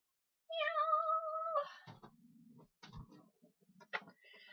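A domestic cat gives one long, steady meow that drops at the end, followed by a person talking.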